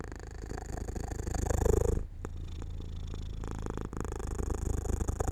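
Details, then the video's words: Domestic cat settling to sleep in the sun by an open window, purring in a low, rapid rumble that grows louder before a short pause at about two seconds, then continues steadily. "My Cat Makes Sounds"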